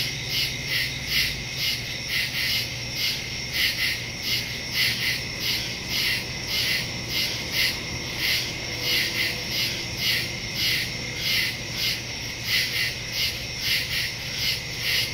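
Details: Night woodland crickets in a dense chorus, captured September 2, 2023 with a phone and Shure MV88+ stereo mic; continuous high trilling pulses, roughly regular beats layered over one another, quiet low hum beneath.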